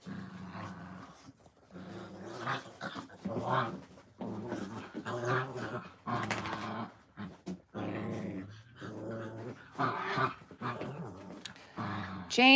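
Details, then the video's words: Playing puppies keep up rumbling growls broken by short yaps in irregular bursts, ending with a high, rising whine. "Puppy playtime"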